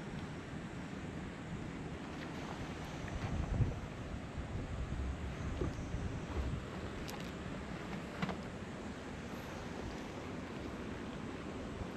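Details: Outdoors on a cat island, only rumbling wind and low background noise are heard, with a few faint clicks.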